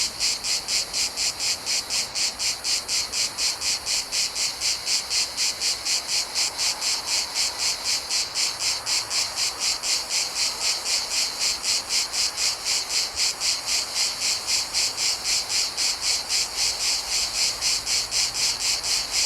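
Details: Cicadas in a Mediterranean summer, recorded in nature: a dense, high, hissing buzz that pulses steadily about four times a second without a break, forming a continuous chorus with no other clear sounds.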